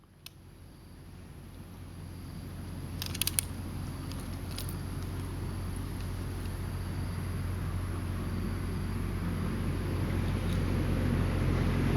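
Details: Low engine-like rumble slowly grows louder, broken by a few sharp clicks near the start, with no animal call.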